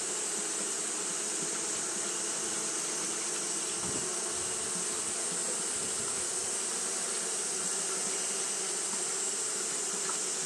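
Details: Fanning Japanese honey bees, hot day; a constant deep drone of wings runs the whole stretch, a soft thump near the middle, and a steady high hiss above.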